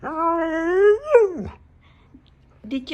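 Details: Pet husky 'talking' indoors in reply to its owner's questions about its Halloween costume: one long, drawn-out whining howl that holds steady, rises, then drops sharply, followed by quiet and a brief human voice.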